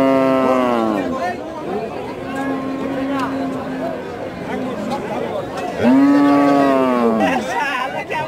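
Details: Local-breed bull cattle at a Bangladeshi cattle market, recorded 6 February 2019: a short falling moo, then a long flat low call, then a strong rising-falling moo, with men bargaining over price in the background.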